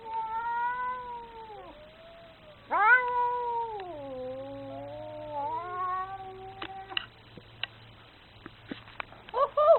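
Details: Very angry cat producing several sustained, harmonically rich yowls that bend downward and then climb, one abrupt loud onset midway, followed by sharp clicks, taps and a short strained cry at the close.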